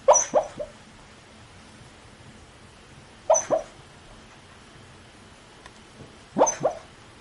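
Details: Sleeping dog grumbling in its sleep, recorded from very near; short paired or tripled muffled yips and whimpers recur about every three seconds, separated by quiet stretches of faint room hiss.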